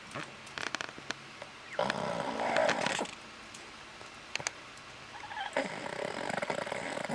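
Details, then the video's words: Boston Terrier sleeping indoors, snoring with one eye open: rough, breathy snoring bursts, one long rasp lasting about a second and another building near the end, with scattered clicks and rustling between. "Boston Terrier Snores"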